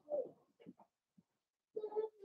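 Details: Cavalier King Charles Spaniel puppies, five Blenheim littermates, at play with their mother Paris in an indoor pen; a rough growling whine, short grunts, then a longer tonal growl with a steady, voiced pitch.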